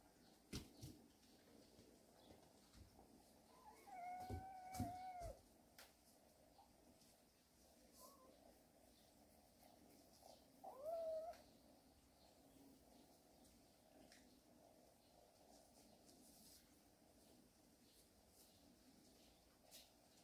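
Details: Warehouse cat family at rest: two clear harmonic meows, the first drawn out and gently falling near four seconds, the second short and rising around eleven seconds, with soft knocks and rustles between and a quiet hum behind.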